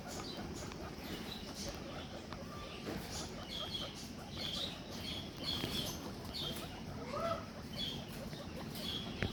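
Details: Guinea pigs give short, high squeaks and a rising wheek over steady rustling as soon as their owner enters.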